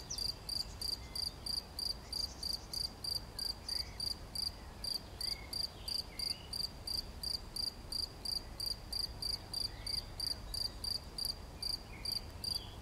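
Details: Cricket on 11 June 2020 chirping in a steady rhythm, near three high, ringing pulses per second, with occasional soft bird notes behind.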